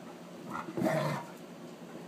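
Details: Night-time play between Sakima, a wolf hybrid, and a female Alaskan Malamute, recorded by iPhone: a short, harsh throaty growl swells for about half a second, then fades into quiet background hiss.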